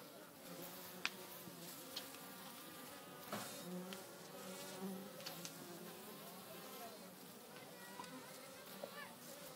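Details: Wild honey bee colony in a hollow of an old oak on a farm, bees dancing at the nest; a dense droning hum of many wings throughout, with individual bees swelling past and scattered sharp clicks.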